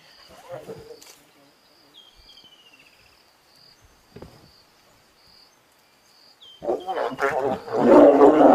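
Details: Lioness of the Tsalala Pride, with cubs, attacking a male of the Majingilane coalition who came too close; quiet faint tones, then a loud harsh broadband snarling roar burst in the final two seconds.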